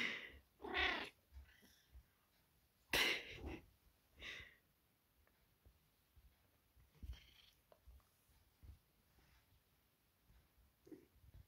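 A Maine Coon cat snoring, with loud, hissy, rasping breaths that come in uneven bursts.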